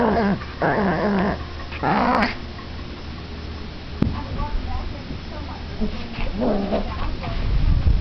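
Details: Two Chihuahuas playing tug of war, one turning fierce in play; bursts of harsh, buzzy growling about a second long, repeated several times, with quieter snarls and rustling between them.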